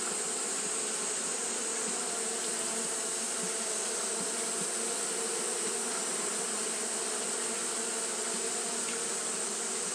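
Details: Japanese honey bees fanning without pause on a hot day: a steady, dense buzzing hum with layered low tones, over a constant high hiss that lasts throughout.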